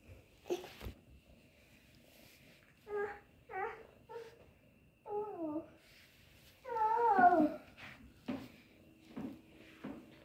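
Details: Kittens mewing in short, high, wavering calls, several in quick succession, then a louder drawn-out meow that falls in pitch, with soft thumps and a faint steady hum in the background.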